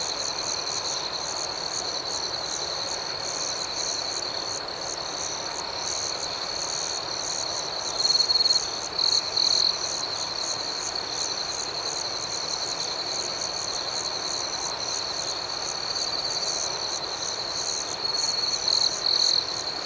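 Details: Crickets chirping at night in a constant high, ringing trill, with faster pulsed notes layered above; short louder chirp bursts break through twice, once mid-clip and again near the end.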